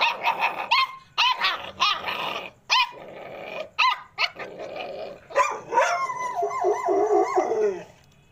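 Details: American Pit Bull Terrier puppies let out quick high yips and barks with some gravelly growling, then a long, wavering, whining cry that slides downward and fades.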